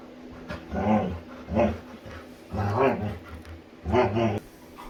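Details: Female Labrador retriever making funny sounds while playing with her owner: four harmonic, moaning grumbles, each under a second long, spaced about a second apart, with low household background.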